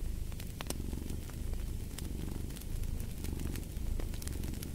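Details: Domestic cat purring steadily, a deep, continuous rumbling throb that keeps a fast even pulse throughout, while a fireplace crackles with sharp scattered pops over the top.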